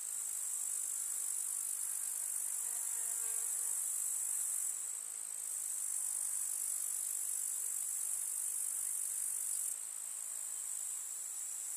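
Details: Grasshoppers in a summer meadow with wildflowers in the countryside keep up a steady, high, hissing chirr that runs without a break.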